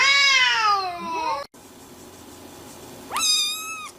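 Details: Domestic cat meowing: a long falling meow with rich harmonics that slides downward, then after a short pause a second, steadier meow rising sharply at the start and holding level before fading.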